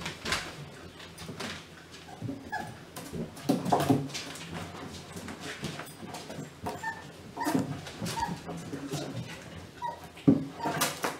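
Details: Litter of German Pinscher puppies, the B litter, whimpering indoors: soft, high, thin whines and small yelps scattered irregularly through the clip, with rustling and shuffling noises around them.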